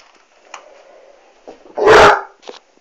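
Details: Basset Hound reacting to a Dyson vacuum cleaner indoors in a small room: one loud, harsh, broadband bark lasting about half a second near the middle, with faint short thumps and soft noises before and after.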